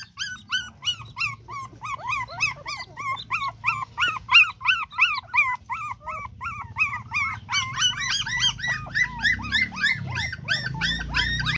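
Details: Dogs mating; a dog repeats piercing, bent whine-yelps about three per second, steady and insistent for many seconds, with a second overlapping series joining near the end and low rumbling noise below.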